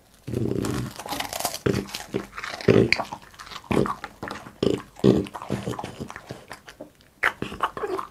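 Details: Indoor mukbang eating by Boss, a French Bulldog: crisp crunching bites and sharp snaps in rapid clusters, with low grunting chews between them and brief pauses.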